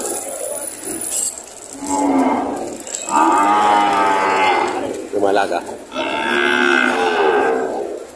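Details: Breeding cows and heifers at a livestock market in Padre Garcia, Batangas, on 13 June 2025. Long, nasal lowing comes in three separate bouts with a brief break between them, and a faint high tone is audible early on.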